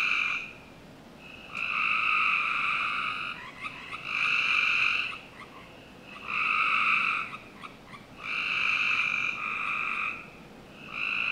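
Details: Summer-night frog chorus from a backyard in Northern Virginia, with loud buzzing trills lasting one to two seconds that come in regular bursts separated by quieter pauses. Faint clicks and scattered calls fill the gaps.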